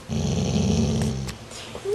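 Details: A part-Rottweiler dog growls at his sibling while trying to move him down the food chain: a deep, rumbling growl lasting over a second, then a short rising whine.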